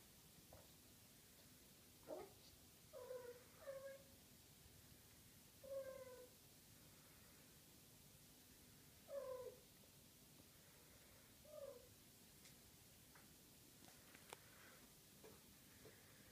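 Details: Six-week-old Maine Coon kittens of a litter, girls and boys together: a series of about seven short, thin mews, some rising then falling, spaced a second or more apart against a quiet background.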